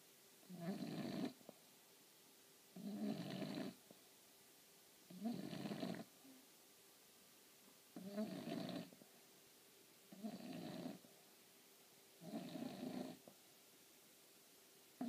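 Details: A female English Bulldog napping snores in loud, rasping breaths that repeat roughly every two seconds.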